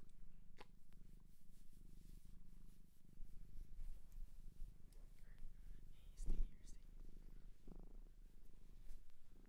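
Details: Pet cat adopted from a shelter in Japan, purring as a low, even rumble through most of the stretch, interrupted by brief rustling and a sharp knock near the middle.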